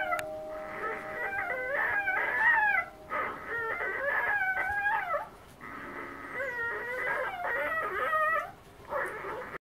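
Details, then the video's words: Three-day-old female Siberian husky puppy, loud while eating as her littermates sleep; bursts of high, squeaky whines and squeals, wavering and bending up and down, in runs of two to three seconds separated by brief pauses. "3 Day Old Siberian Husky..Eating & Being Loud"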